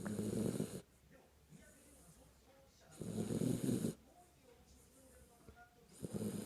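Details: Kinako the Jack Russell Terrier snores while asleep. Hoarse, airy snore bursts come about three seconds apart, with faint breathing in the gaps.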